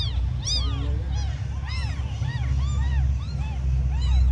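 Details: Several tiny abandoned kittens mewing, high thin arched cries overlapping in quick succession, some rising and falling sharply, over a constant deep low rumble.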